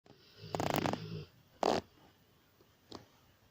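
A Rottweiler snores in rough, breathy rasps, with one long rattling snore and two shorter puffs.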